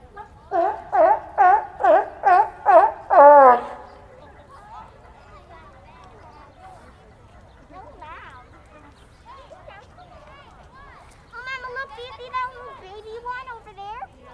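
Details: Captive sea lions at a zoo in New York City, USA, barking: seven loud, harsh, harmonic barks in a quick run about every half second, then quieter voices of people and softer wavering calls in the background.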